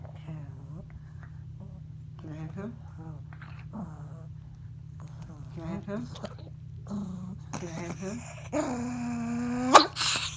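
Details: Pet Chihuahua in his nightly bedtime play routine, making his funny 'own language' sounds: short growly grumbles and whimpers repeated throughout, ending in a long high whine, with a woman talking over him indoors.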